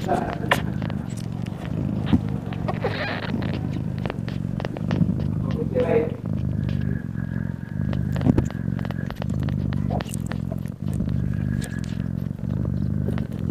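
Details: Mother cat nursing her newborn kittens gives a continuous low, throbbing purr with brief pauses for breath, one faint high squeak near the middle and light rustling noises.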